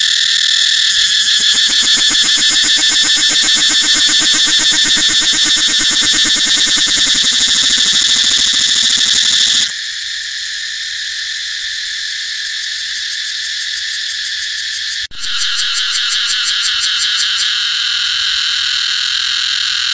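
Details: A cicada calls in a steady, shrill drone that rings strongly in the high register. Near ten seconds the sound drops abruptly to a thinner, quieter buzz, then swells back after a brief break, with rapid pulses flickering through it.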